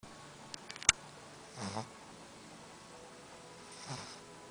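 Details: A sleeping Boston Terrier snoring softly indoors: two quiet, breathy snores about two seconds apart, each a short rasping rush of air, with a faint click near the start and low room hiss throughout.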